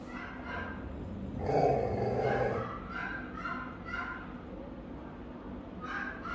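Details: Rottweilers guarding a house, caught on a camera the dogs had discovered; one deep, broad bark at about 1.5 seconds, followed by fainter, softer sounds and a steady background hum.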